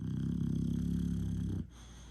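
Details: Low, rattling snore from an English Bulldog, one steady throaty rumble lasting about a second and a half before cutting off into quiet.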